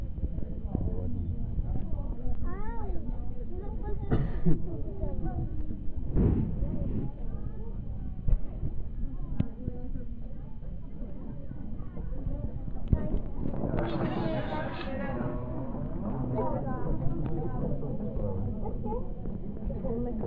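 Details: South African fur seals, Arctocephalus pusillus pusillus, calling together: overlapping wavering bleats and moans, with a loud, harsh, rising-then-falling bawl near the end, all over a constant low rumble.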